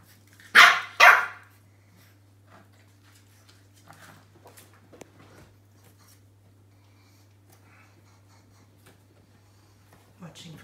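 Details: Roscoe, a French Bulldog puppy wary of a new toy and watching it from a safe distance, lets out two loud, rasping barks close together, followed by a long quiet stretch of faint shuffling and a soft yip at the end.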